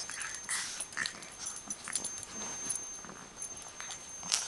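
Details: A puppy at play gives brief, high whimpering yips, clustered in the first second and again near the end, over soft scuffling and clicking, with a steady thin high-pitched whine running underneath.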